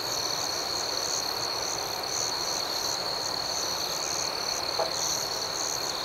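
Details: Dense nighttime chorus of chirping crickets: an even high trill with regular pulsed chirps above it, one brief faint tick midway. Steady volume throughout.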